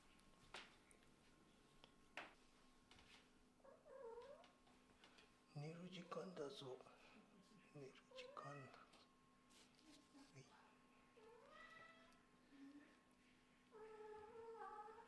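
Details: Sleepy indoor kitten, tired from play on a cold day, being lifted and put back into its bed at bedtime; about five short, rising-and-falling meows come in bursts, with a man's quiet voice and handling sounds between them.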